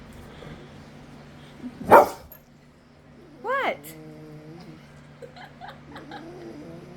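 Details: A male pet dog being petted makes odd noises he has never made before: a sharp loud snort, then a brief rising, harmonic whine that trails into a low tone, while a woman questions him.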